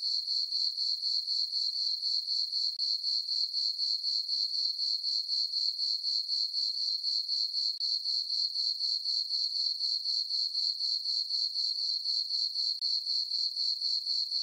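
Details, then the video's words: Crickets on a peaceful summer night in a full-moon farm meadow, sustained high-pitched chirping in a tight regular rhythm near four pulses per second for the whole stretch, otherwise quiet. "Cricket chirping sounds for sleeping"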